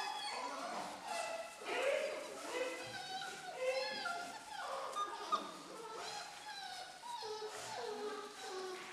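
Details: Amy's litter of German Shorthaired Pointer puppies at four weeks old: several pups whimpering and squealing at once, wavering harmonic whines that bend up and down, with short yelps breaking through.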